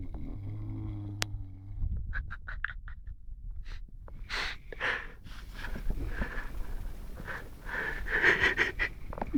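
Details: Lara, a Saint Bernard dog, snoring while asleep: a low steady hum at first, then rasping, wheezy breaths in short bursts that grow denser and louder toward the end.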